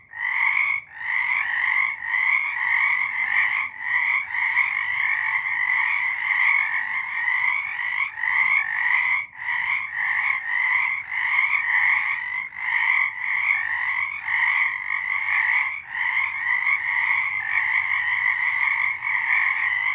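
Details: Many frogs calling together in March 2023, their rapid pulsed trills merging into a steady high-pitched drone, broken by short lulls every couple of seconds, with no other sounds standing out.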